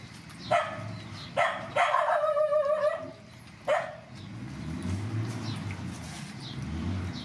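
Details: Rescued mother dogs and puppies at feeding time: four sharp barks, the third stretched into a longer wavering yelp lasting about a second, then a low rumbling background.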